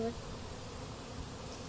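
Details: Honey bees on a warehouse rooftop in Yanagase, after a honey-pressing event on 21 October 2012. A steady, low droning hum holds evenly throughout without breaks.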